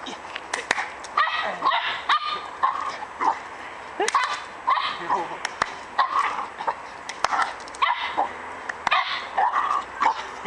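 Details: Pip, a Border Terrier, playing on a log with its owner; short yippy barks and whines repeated roughly every second, with a man's voice giving brief encouragement in between.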